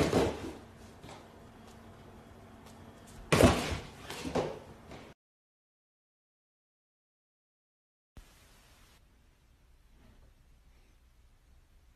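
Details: Indoor thumps and a door slam, then several seconds of silence and a faint room hum, with no animal sound.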